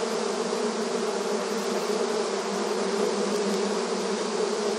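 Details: Busy swarm of honey bees at the hive entrance in a rural setting, a thick constant hum of countless wingbeats, steady in loudness and pitch, without other animals or background noise.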